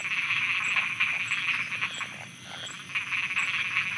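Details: A night chorus of frogs in Thailand gives dense, rapid, rattling croaks that overlap into a continuous pulsing din.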